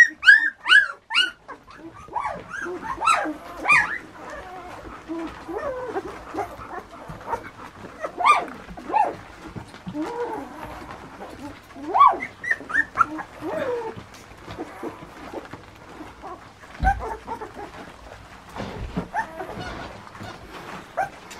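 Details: Nearly two-week-old pups giving scattered thin whines and squeaks, a louder burst of cries at the start, then intermittent single whimpers over soft background noise.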